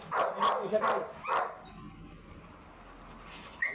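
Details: American Bully, a first-time stud dog from San Jacinto, Pangasinan, gives a quick run of four short, rough barks within about a second and a half. A quieter stretch follows, with faint high chirps in the background.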